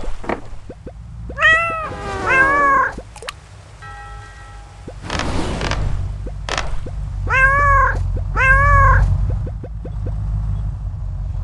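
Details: Koala making strange noises: several short, wavering, nasal cries that rise and fall, some in quick pairs, over a steady low rumble and scattered soft clicks.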